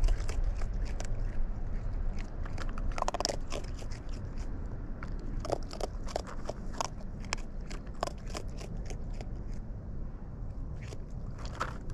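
Irregular crunching and chewing clicks over a low rumbling background, with no animal calls.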